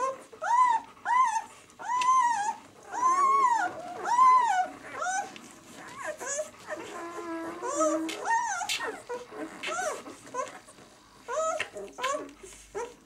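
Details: Six-day-old White German Shepherd puppies of the B litter from the "of White Night" kennel, indoors: a run of high, arched whimpering squeals about once a second, some wavering and overlapping, with faint rustling between cries.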